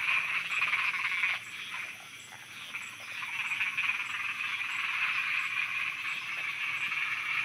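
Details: Night soundscape from Thailand of a crowd of frogs croaking together. Loud, busy overlapping croaks dip briefly near the start, then build back to a steady din. Soft high ticks repeat evenly behind it.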